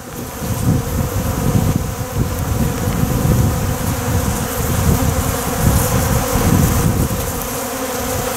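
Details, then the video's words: Many honey bees on the ground, sucking up honey-laden water spilled from wax cappings during beeswax rendering. A dense, continuous buzzing swarm with strong low rumbling and fluttering, swelling and fading slightly throughout. "wow I don't know if you can hear all the bees that are on the ground right now"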